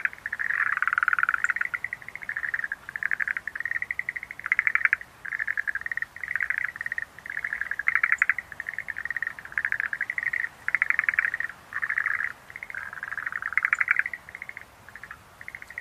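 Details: Chorus of Schlegel's green tree frogs: a steady run of short, clucking rattle bursts, each under a second long, following one another almost without pause. Faint high ticks appear now and then over the calls.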